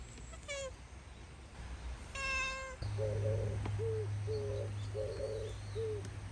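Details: Domestic cat at home in a traditional Japanese house, with cats Ten, Sora and Luna around cat grass. Two clear harmonic meows, then a run of short, soft chirping mews repeated about once per second, with low background hum.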